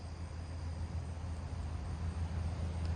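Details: Steady low road rumble from passing vehicles with no animal calls in a suburban neighbourhood on a July evening.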